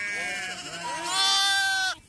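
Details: Several sheep bleating during PPR vaccination, their wavering bleats overlapping before one loud, strained bleat swells and then cuts off sharply near the end.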